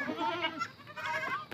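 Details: Goats on a provincial farm being fetched in the afternoon to go home, after a treat of mango leaves: two wavering, nasal bleats in quick succession, the first sliding down, the second rising and falling, with light background noise.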